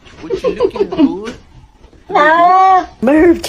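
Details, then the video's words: Pet cat that seems to 'speak', with a long steady drawn-out meow followed by a shorter bending one, after a person talks to it indoors. "These Cats Speak English Better Than Hooman!"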